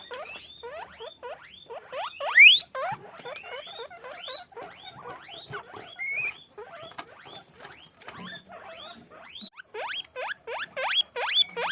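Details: Guinea pigs on a guinea pig farm squeal in a rapid run of rising, whistled squeaks, several animals calling over one another.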